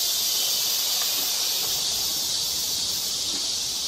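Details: Cicadas singing in a summer forest along a park hill trail in July 2024, during a rainy-season heatwave: a dense, continuous high hissing buzz with no breaks, steady in loudness throughout.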